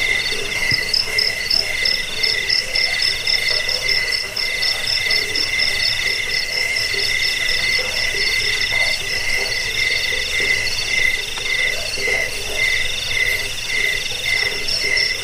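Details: Dense overlapping cricket chirps, used to repel rats, aid sleep and train cage birds: continuous shrill trilling in several stacked high bands, with short rapid pulses pattering throughout and no pauses.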